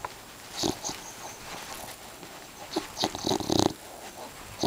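An English bulldog snores in rough, breathy snorts and wheezes, some louder and harsher than others. The bursts come irregularly over a quiet, steady background hiss.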